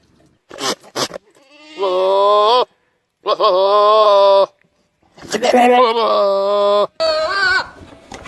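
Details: Goat making weird, loud, long wavering bleats, three sustained nasal cries of nearly a second each with short gaps. Brief bursts of noise and voices come before and between them.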